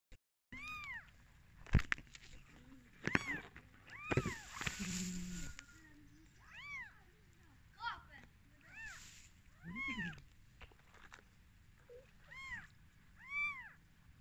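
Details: Newborn kittens on their first day of life after their mother gave birth, giving thin, high arched mews repeated every second or two, with occasional rustling and a faint low background hum.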